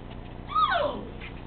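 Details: Male Siberian Husky puppy, 51 days old, gives a single whine about half a second long that slides steadily downward from a high start to a low finish, over a quiet hum of room noise.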